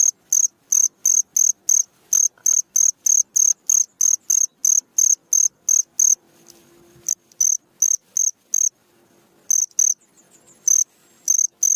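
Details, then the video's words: Cricket chirping at night, used to train songbirds: sharp high chirps repeating about three times per second in steady runs, with a short break around the middle and a faint low hum underneath. "SUARA JANGKRIK MERDU Di Malam hari"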